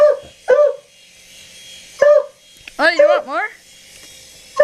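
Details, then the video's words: Domestic dog barking at a helicopter, giving short loud barks in a quick pair, then another bark, a drawn-out wavering yelp-like cry, and a final bark, with faint hissing noise behind. "Dog Barks 4 Helicopter"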